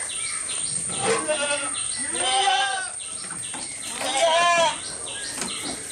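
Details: Goat filmed close up while eating, giving wavering, nasal bleats around the one- and four-second marks, with faint crunching between them and a steady train of high repeated chirps in the background.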